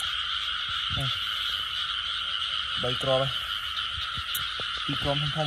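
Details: Frogs at night in Cambodia, heard during a frog hunt: three short groups of low, nasal croaks rise out of a dense, continuous high insect hum.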